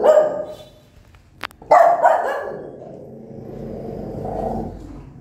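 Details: Mother dog, described as angry, barking at her newborn puppies: a quick bark and then a louder harsh one, trailing into a low rumbling, growl-like sound that fades.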